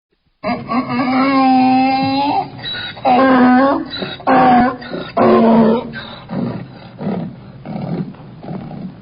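A donkey brays loudly, a long harmonic tone followed by a few shorter strained blasts.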